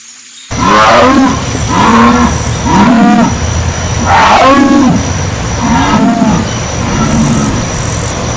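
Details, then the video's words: Jaguar roaring loudly: deep, rasping grunts in a sawing rhythm, about one per second, each harsh burst rising and falling in pitch, starting abruptly after a brief quiet moment. "Som de onça, som de jaguar, onça rungido"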